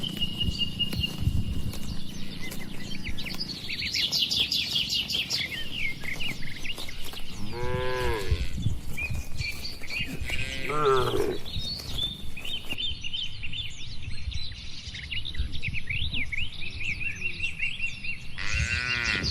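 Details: Dozens of tame farm cattle in a wide barn, calm setting; a few clear moos around 7–11 s and again near the end, layered over busy chirping of birds and low rumbling background noise.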